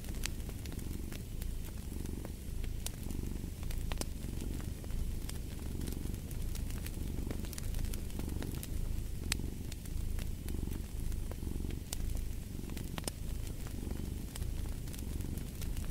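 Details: Cat purring by a fireplace: continuous deep rumbling that swells and fades in regular breathing cycles about every second, while crackling fire adds frequent bright clicks and pops.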